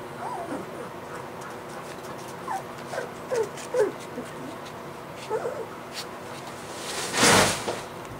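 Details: Three-week-old white Golden Retriever puppies giving soft, thin whimpers and squeaky rising-falling cries, scattered singly and in small clusters, with a broad noisy rustle near the end.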